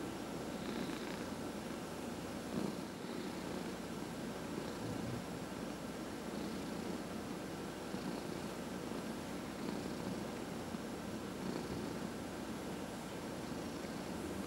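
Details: Domestic cat, 14 and a half years old, purring through a head massage indoors; low continuous rumbling purr under faint regular rubbing sounds and a slight background hum.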